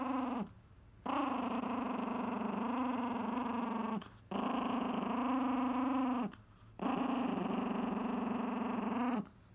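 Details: Angry Chihuahua defending his pizza crust with long continuous growls, each lasting about two to three seconds, separated by short breaths, rough and harmonically rich in a quiet indoor room.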